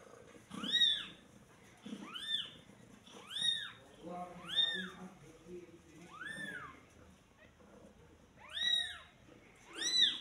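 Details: Day-old kitten calling with a run of about seven shrill, arching meows at uneven intervals. Two come close together near the end, with faint low murmurs and rustling in the background.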